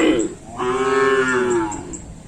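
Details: Cattle at a full training session on the Asemanis track in Pamekasan, preparing for a kerapan sapi bull race: one long, steady, tonal moo lasting about a second, after brief background chatter.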